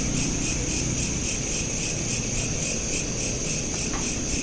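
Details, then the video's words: Crickets at night, recorded on a smartphone: rapid high pulsed chirping, about four pulses a second, layered in several shrill bands over a steady low hum. "Night Lamp Ambience with Crickets"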